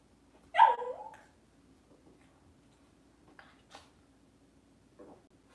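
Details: Cavalier King Charles Spaniel indoors on a kitchen camera during a puppy live stream, cloudy Monday morning: one sharp, high yelp that slides downward, followed by a few faint, brief squeaks in an otherwise quiet room.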